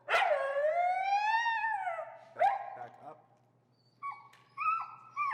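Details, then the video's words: Finnegan, an extremely vocal feral husky, protests during heel training with pressure: a long, drawn-out howling whine that rises, then sags and holds, followed by a short sharp yelp and two brief higher whines. "Extremely Vocal Feral Husky, Disagreeing With A Behavior"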